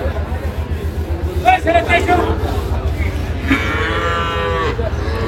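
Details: Sahiwal bull calves at the Ambari cattle market in Dinajpur, Bangladesh, on Monday 26 May 2025, stormy rainy weather. Two drawn-out harmonic moos rise over a steady crowd murmur and low rumble.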